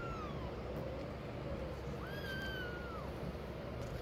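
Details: Mother cat moving away from her hidden kittens: the tail of one falling meow, then a single long meow that rises, holds steady and slides down, with a constant low rumble behind.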